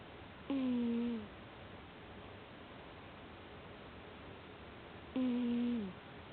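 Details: Deeply asleep, a cat gives two droning, nasal snores about four and a half seconds apart. Each is a steady low tone that sags in pitch as it fades, with a quiet room between them.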